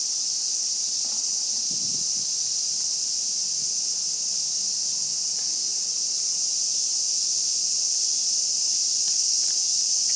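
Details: Unbroken shrill buzzing of Japanese cicadas, an even high hiss holding steady from start to finish over a few soft low knocks.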